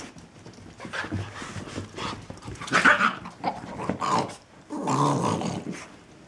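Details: Puppies from a new litter tussle playfully, producing short throaty growls and one longer rumbling growl near the end, amid soft scuffling sounds.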